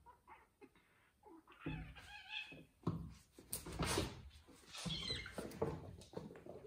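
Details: Two house cats left home alone, Ginger and the grown cat Joanna who fostered her since she was a baby, playing and making a mess in a room; a short wavering meow-like cry rises amid loud thumps, clatter and scuffling.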